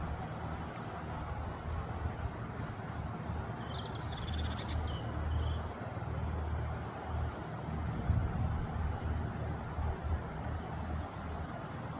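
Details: Steady low rumble of wind or distant traffic throughout, with a brief high hiss near the middle and no clear bird voice.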